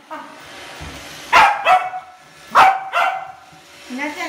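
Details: Young Corgi barking at a Roomba on first encounter: two pairs of sharp, loud barks about a second apart, then a softer short yelp, over a steady low background hum.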